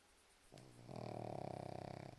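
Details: Single rattling snore from a sleeping pug, starting with a short snort then building into a buzzy, fluttering breath of about a second and a half.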